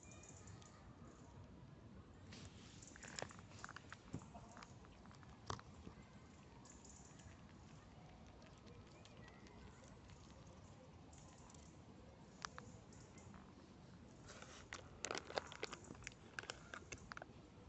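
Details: A squirrel feeding very close to the microphone, chewing and gnawing with soft crunches and sharp clicking bites.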